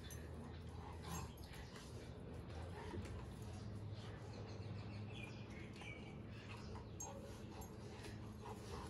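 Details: A Rottweiler play-fights with its owner without biting, making low, rumbling play growls and huffs, with the owner's voice now and then.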